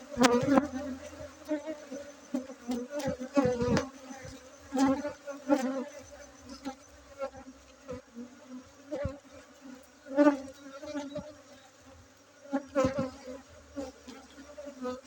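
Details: Honey bee colony droning at a breeding site in Bener Meriah, Aceh, during a honey harvest on 7 August 2023; an even, low buzz runs throughout, punctuated by scattered taps and knocks from handling.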